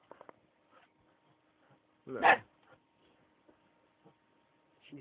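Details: Akita at play, giving a single loud, harsh bark around the middle, with quiet scattered noises before and after and a person talking softly nearby.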